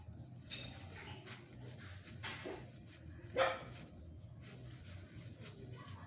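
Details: Pet Chihuahuas playing indoors at home, one short sharp yip in the middle standing out above a steady low hum, with soft scattered rustles and clicks before and after.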